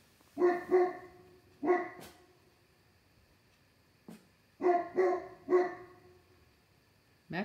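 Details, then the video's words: Dogs barking late on a summer night, one out on the deck at something and another joining from inside: paired and triple barks in two bursts with a pause between, a woman talking quietly. "Late night barking"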